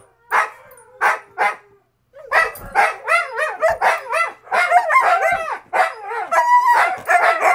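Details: Siberian Huskies at 2:00 AM, adult mother and father complaining to each other while puppies howl in the background; three short yelps, a pause, then dense warbling, bending moans and yips overlapping.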